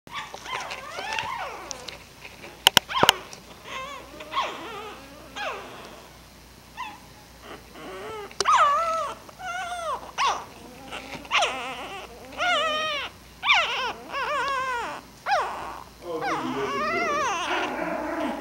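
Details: Puppy giving a long run of high, arching whines and yelps, each rising then falling, in short bursts separated by brief pauses, with a couple of sharp clicks early on and a quiet background.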